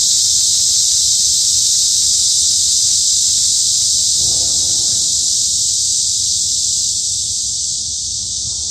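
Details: Midsummer cicada chorus in the woods of Hanbat Arboretum, Daejeon, South Korea, a continuous shrill buzzing that stays level throughout, with a faint low rustle partway through.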